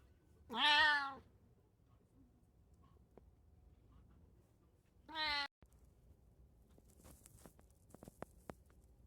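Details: Domestic cat, one of three housecats (a brown tabby, a short-legged Munchkin and an Abyssinian) shown in daily life on 8 May 2024, gives two clear harmonic meows, a longer one then a brief one about four seconds later, followed by light indoor tapping clicks.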